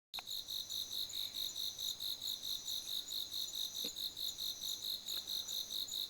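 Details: Autumn insects calling in a garden at night in September, a steady high-pitched pulsed trill beating about twice per second throughout, with a faint click midway.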